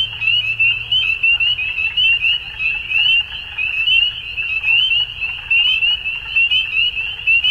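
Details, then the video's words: Dusk frog chorus: overlapping high trilled calls form a constant buzzing band, with rhythmic swells roughly once a second and a quiet low hum at the start. "Frogs At Dusk"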